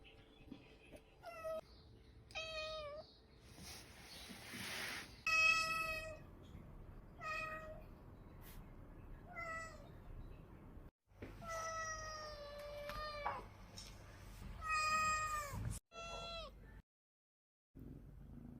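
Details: Cat giving a run of loud meows of varied length, some short and clipped, others long and wavering, with brief bursts of hissing noise and rustling between calls.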